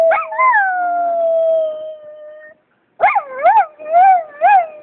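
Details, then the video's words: Austin, a vocal Miniature Schnauzer, howling: a long falling howl that trails off, then a pause, then a run of quick wavering yodel-like howls rising and falling in pitch. "Austin Howwlin'"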